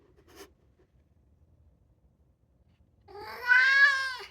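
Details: Two-year-old male polydactyl Maine Coon cat indoors, meowing to be let outside: after near silence with a faint knock, one loud drawn-out meow rises then levels off in the last second.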